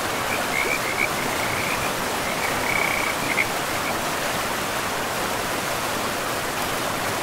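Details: Frogs by a river in a pristine forest, giving short, high, chirping calls in loose bursts over the first half, then falling quiet beneath the steady rushing hiss of flowing water.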